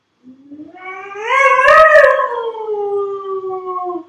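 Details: A single dog howl rises slowly from a low start to a strong peak, then tapers into a long, gently falling tone that fades out.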